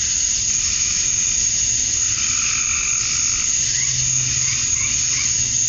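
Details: Male cicadas chirping to attract females at summer dusk in Georgia, USA: a dense, unbroken high-pitched buzzing drone, with faint lower warbling calls drifting in behind it.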